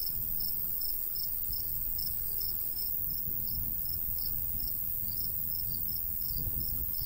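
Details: ['Natural cricket sounds of a summer wheat field in the countryside with a gentle breeze; rhythmic high chirps repeat at a steady pace, backed by low wind noise.']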